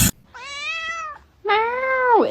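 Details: Domestic cat giving two drawn-out meows indoors, the first steady and tonal, the second louder and sliding downward at its end; a brief burst of human noise just before, with laughter and talk around it.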